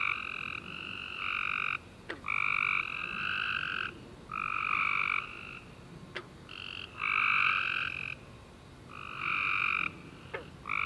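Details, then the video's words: Tree frogs chorusing at night after a warm rainy summer day, overlapping harmonic trilled notes, each lasting about a second, several callers at slightly different pitches, gaps between bursts, with a few brief clicks. "Tree Frog Chorus After A Warm Rainy Day"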